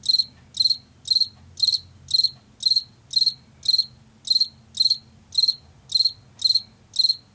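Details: High, rhythmic chirping of a Washington field cricket, a late summer and fall insect of fields and forest edges: each chirp a brief burst of several pulses, repeated about twice per second without pause.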